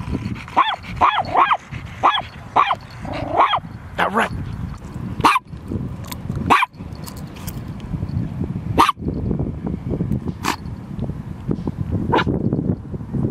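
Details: Domestic dog barking as a loose boxer comes in, a chihuahua also nearby: a quick run of six or seven sharp barks in the first four seconds, then scattered single barks amid a rumbling, breezy background.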